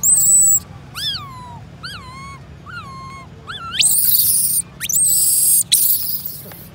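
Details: Baby monkey Jessie cries, scared because her mother Sasha is not near and another monkey group has come, then runs to her mother. A high tone is followed by four falling, whistled wails about a second apart, then loud, harsh, shrill screams.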